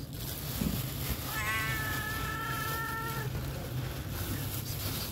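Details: Homeless cat begging for food gives one long, drawn-out meow lasting about two seconds, a wavering tone that stays level then falls slightly at the end, over a steady low engine rumble.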